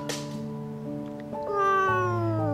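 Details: Frightened domestic kitten, trembling and crying nonstop after seeing its mother taken away, kept in a cage indoors; a drawn-out wavering meow slides gently downward in the second half, over steady background music.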